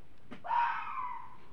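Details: At night, with an owl hooting, a fox gives one harsh, drawn-out scream after a soft knock; the scream holds steady, then slowly falls over about a second.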